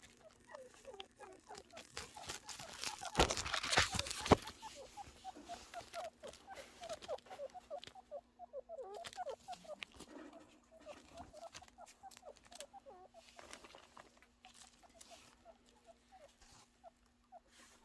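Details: Baby angora chinchillas give rapid strings of soft, high squeaks and chirps while playing, with some rustling nearby.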